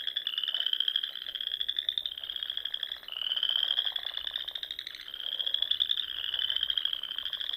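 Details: Many frogs trill together on a spring evening in Nebraska's Sandhills. Continuous high buzzing trills rise and restart every couple of seconds, with a quieter rattling layer below.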